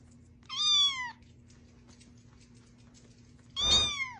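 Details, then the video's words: Domestic cat from a funny cats compilation giving two drawn-out meows, each falling in pitch, about three seconds apart, over a faint steady hum. "Funny Cats"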